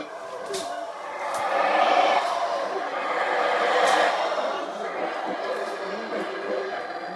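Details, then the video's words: Black howler monkeys roar in deep, rasping waves during an encounter between two groups near Monkey River, Belize. "Black Howler Monkey Inter-Group Encounter"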